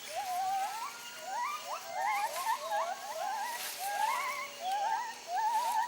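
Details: White-handed gibbons, a family group that travels together daily on a territorial circuit, singing overlapping wavering, warbling hoots that rise and bend in pitch, several voices interweaving in quick succession.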